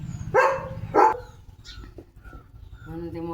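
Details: Pet German Shepherd Leo waiting in the morning for boiled egg: two sharp, tonal barks close together, followed by a woman talking quietly.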